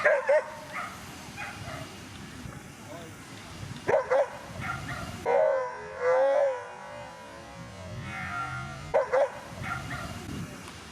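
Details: Whippets Diana Noir and Tatyanin Den Verniy at the Twin Cup 2017 coursing race in Latvia; sharp, high yelping barks come in short bursts near the start, around four, six to seven and nine seconds, with a drawn whine between, over steady background hum.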